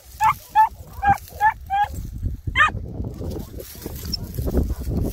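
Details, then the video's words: Greek Harehound on a hare hunt in Cyprus lets out a fast run of five clear, tonal yelps, then one more rising cry, followed by shuffling, brush noise and low outdoor rumble. "Κυνήγι Λαγού.Hare hunting.Greek Harehound"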